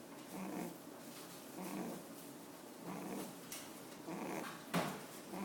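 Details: Rabbit kept at a café, asleep with eyes open and snoring: soft, rough exhaled snores come roughly every second and a half, somewhat uneven, with one sharper click near the end in a small quiet room.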